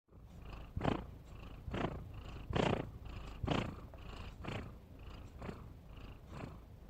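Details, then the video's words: Domestic cat snoring, described as funny and cute: rough, breathy low rasps repeating about once a second, each breath a short broadband swell with quieter pauses between. "Suara Kucing Ngorok"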